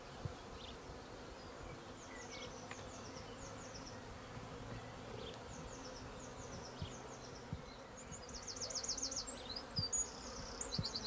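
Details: Swarming treatment-free honey bees in a garden in May produce a low, continuous hum beneath frequent high bird chirps, which become rapid, loud trilled bursts toward the end.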